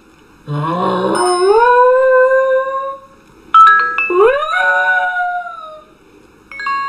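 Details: Howling dog in a compilation of singing dogs: two separate howls, each starting low and wavering, then rising into a steady sustained tone for about two seconds, with a short silence between them.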